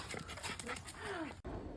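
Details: Dungi, a rural Korean mixed-breed dog, lets out a brief thin whine that slides downward in pitch, with handling noise and faint human speech around it.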